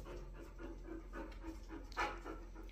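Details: Japanese Akita dog panting in quick rhythmic breaths, about four per second, steady throughout, with a person nearby talking in Persian about going to the park.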